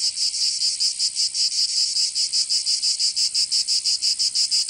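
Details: In southern France's Provence, cicadas sing on a summer day: a shrill, grating buzz broken into quick rhythmic throbs of roughly three per second, steady and unbroken.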